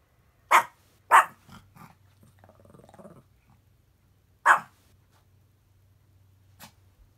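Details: Kohaku, a pet chihuahua lying in bed on watch, barks at the unusual sound of road construction outside: two sharp barks about half a second apart, soft grumbling growl, then a third bark and a faint final yip, low engine hum beneath.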